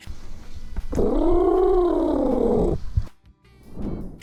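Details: A domestic cat gives a drawn-out, moaning growl that swells and fades. This threat noise means "go away now" and that the cat will fight, and is usually aimed at other cats over territory, during mating, or in severe pain.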